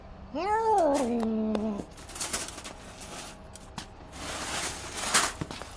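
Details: Angry domestic cat giving one loud yowl of about a second and a half, rising then holding a steady drawn-out tone, followed by indoor clatter and background noises in a small room.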